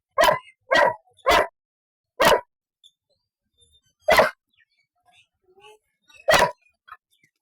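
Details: Barks from a 2-year-old Golden Retriever: three quick loud barks, then single barks spaced about two seconds apart, with silence between and faint scattered small sounds.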